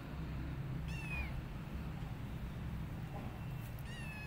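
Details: High, thin meows from rescued street kittens during feeding, two short harmonic cries that drop slightly at the end, about three seconds apart over a constant low hum.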